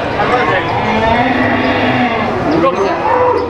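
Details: Cattle being loaded onto a truck at the new Boyolali cattle market, with dense overlapping lowing and mooing over loud crowd chatter and market noise throughout.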